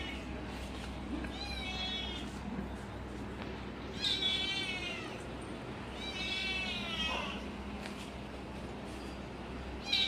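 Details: Kitten eating cat food and protecting it, making enjoyment noises while eating: four drawn-out wavering whines, about one second each, spaced through the recording, with low background hum and faint clicking.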